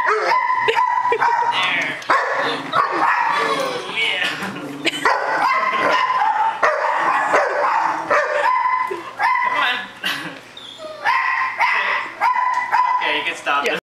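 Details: An excited German Shepherd straining on a bungee leash lets out repeated shrill, whiny yelps and barks in clustered bursts, while a person talks and urges the dog to stop throughout.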